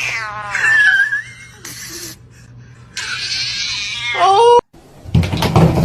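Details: Domestic kitten crying indoors: two drawn-out harmonic meows, the first wavering then falling, the second rising and ending in a sharp upward squeal, with a brief noisy burst between and clatter at the end.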